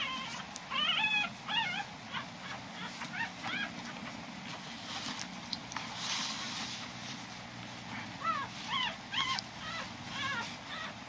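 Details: Newborn Corgi puppy, five days old, squeaking during a weighing: thin high whimpers rising and falling in short bursts, clustered near the start and again toward the end, with a quiet background hiss between them.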